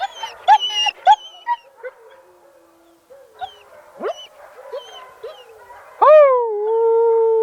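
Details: Several German Shepherds start their pack howling sequence as the camera turns on, yips and whines building to a long, steady, mournful howl; they do this once or twice a day.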